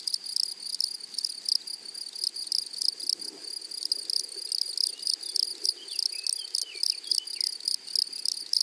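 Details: Grasshoppers in a flowery meadow on the prairie, shrill high chirps pulsing in rapid regular bursts throughout, with faint twittering bird notes sliding in the middle range near the end.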